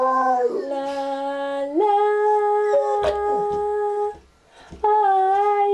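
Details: Pet dog howling in a duet with its owner singing a cover of Unchained Melody; long, steady held howled tones, a sharp upward pitch step near two seconds, a brief gap, then another sustained tone, blended with the human singing voice.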